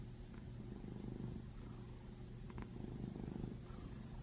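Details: A small fat cat, snoring or purring: a steady low rumble with a constant hum and a fine pulsing texture throughout, with faint brief clicks near the middle.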